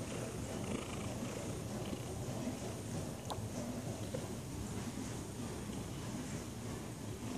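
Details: Tabby cat, a lazy house cat; low, steady rumbling purr running continuously at quiet level, with a faint hiss of background noise and one brief click.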